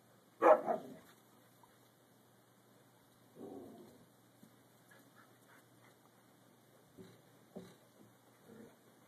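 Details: A six-month-old Siberian Husky pup trying to get another dog to play: one sharp, loud bark near the start, then a softer yip about three seconds later and faint scattered whines and yips afterward in a quiet room.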